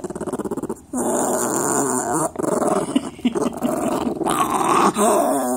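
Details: Dog making a strange, demonic-sounding vocalisation: harsh, continuous growling with rough buzzy harmonics, broken by short pauses about every one to two seconds, loudness rising and falling between bursts.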